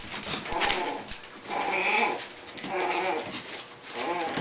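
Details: English Bulldog puppies at play with Kona, an adult who referees when they fight; low rumbling growls rise and fall in bouts about a second long, with scuffling between.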